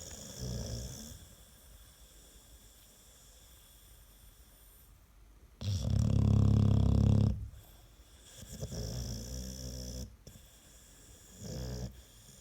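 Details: American Staffordshire Terrier snoring, claimed to be louder than a washing machine on spin: quiet breathing, one loud, low, vibrating snore of about two seconds, then gentler rasping breaths.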